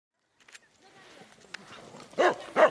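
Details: Cardigan Welsh Corgi on an autumn corgi walk in Lusowo near Poznań, Poland, 2014; two loud barks near the end after quiet rustling and faint background voices.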